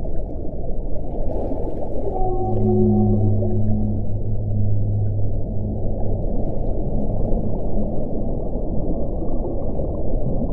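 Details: Whale vocalizing beneath the surface: a rich harmonic moan with stacked tones, swelling after two seconds and fading out by six, then only steady deep underwater rumble remains.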